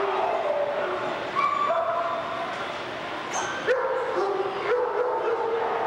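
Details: Alaskan Malamutes recorded on March 20, 1990 in Louisville, Kentucky; sliding, tonal howl-like yips and whines at shifting pitches overlap throughout, with a sharp higher cry near the middle.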